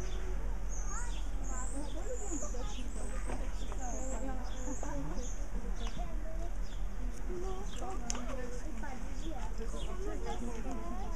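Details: Meerkats, Suricata suricatta, in a group giving many overlapping short chirps and peeps, some rising or falling, with high squeaky notes above and a steady low rumble underneath throughout.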